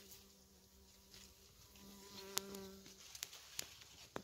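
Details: Honey bees working raspberry fruits in October. A low, steady hum holds for about three seconds, then gives way to a few sharp clicks and soft tapping.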